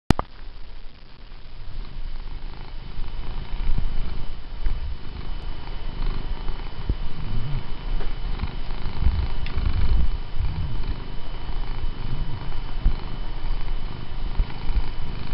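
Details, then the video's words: Domestic cat purring while being petted, indoors; it has started reaching out to pull a hand back toward its head when petting stops. Low, steady rumbling purr throughout with no other clear sounds. "Benny the cat really wants to be pet"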